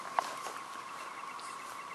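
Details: Emerging red-eyed 13-year periodical cicadas in huge numbers near Lake Francis Road, Dalton, Georgia, make a steady, even droning hum, a faint unbroken chorus with one sharp click early on.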